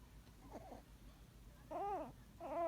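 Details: A Yorkshire Terrier puppy snoring in its sleep with a sound like crying, started suddenly; soft whimpery vocal wails rising and falling, two stronger wavering cries near the end in a quiet room.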